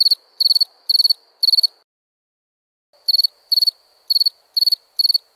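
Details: Chirping crickets at night: four pulsed, high chirps, then a silence of over a second, then five more chirps at the same brisk pace.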